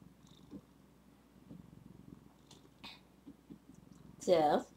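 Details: A single loud, wavering meow from Zephy, a female pet cat, comes near the end after quiet indoor murmurs and soft knocks; the call dips and rises in pitch over about half a second.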